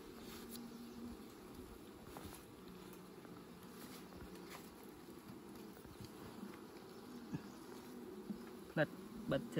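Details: Honey bees humming while honey is collected, a continuous low drone with faint rising and falling tones, a few sharp knocks near the end.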